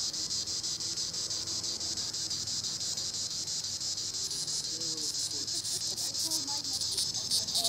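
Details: High treetop buzzing of a green annual cicada, Tibicen linnei, pulsing about three times per second, with a few faint bird chirps appearing partway through.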